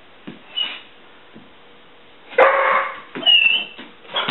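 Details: Pet dog watching for squirrels, making high birdlike whining sounds to announce them: a faint squeak near the start, then a louder breathy whine with thin whistled squeaks around the middle and one more short whimper at the end.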